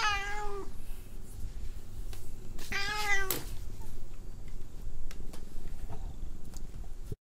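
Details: Annoyed cat, unwilling to be petted, gives a brief meow at the start and another harsher, strained meow around three seconds, with rustling and clicks in a quiet room after.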